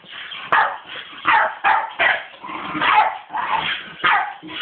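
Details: A female Staffordshire Bull Terrier, reacting to a skateboard, gives a run of short, harsh barks at an uneven, rapid pace, each a brief forceful burst, with a few higher yips mixed in.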